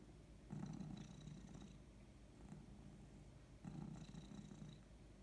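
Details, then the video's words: Female domestic cat purring while resting indoors, a low steady rumbling throb that swells into two louder stretches, near the start and again toward the end, over quiet room hiss. "Cat just purring (and yawning)"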